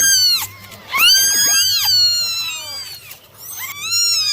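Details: Kittens from a litter of nine cry out while being dried in the morning, their shrill, bending meows layered over one another with little pause between them.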